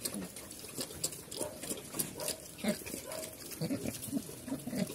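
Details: Pigs on a farm in Cambodia, locally called Chrouk Kandorl, with short low grunts repeated through the clip amid scattered clicks and rustling.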